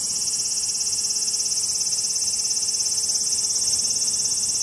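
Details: Graptopsaltria nigrofuscata, the large brown cicada, recorded 18 August 2020: an even, shrill sizzling drone, very high and constant from start to finish, with a faint low tonal hum beneath.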